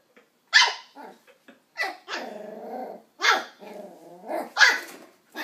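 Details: Westie puppy, nine weeks old, confronting an empty coke bottle with a run of shrill yaps mixed with rumbling growls, about five barks spaced irregularly.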